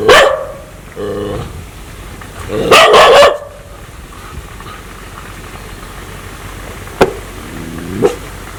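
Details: An aggressive dog intent on biting people barks sharply, then gives a short lower harmonic call, a loud grating double bark, and two brief faint yelps later on.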